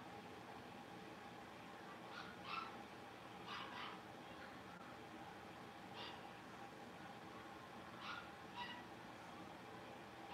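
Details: Blenheim Cavalier King Charles Spaniel puppies, a litter of five born at New Year, playing in the Red Barn Cavaliers puppy pen. Short, sharp, high yips come in scattered bursts, some doubled, over a steady low indoor hum.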